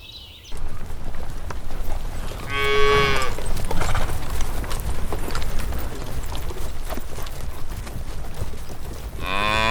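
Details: Cows grazing on a lush green countryside field in soft golden sunlight: a short harmonic moo near three seconds and another rising one at the very end, over a steady low rumble of breeze.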